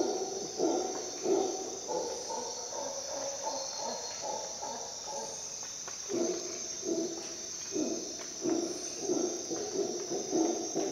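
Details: At dawn in a Costa Rica jungle, a howler monkey gives throaty, low rhythmic roaring bursts, pausing briefly midway before resuming, while a continuous shrill insect chorus hums above.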